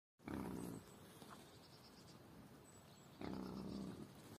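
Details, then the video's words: A wild boar in an enclosure gives two low, rough grunts, about three seconds apart. "Wildschwein grunzt (1) / wild boar"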